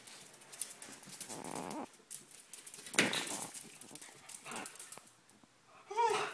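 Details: Playful wrestling between two dogs, Binks and Shorts, one chasing the other. Breathy wheezing huffs, a sharp snap near the middle, scattered scuffles, and a brief tonal whine-growl at the end.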